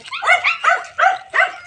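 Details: Several pet cats being called over to eat, producing four clear, high-pitched meows spaced roughly every third of a second, each a short rising-falling tone rich in overtones.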